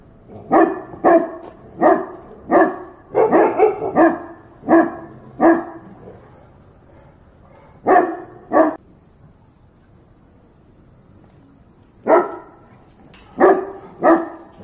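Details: {'caption': 'Dog barking steadily, about nine deep, harsh barks in the first six seconds, then a pause, two more, another gap, and a final group of three.'}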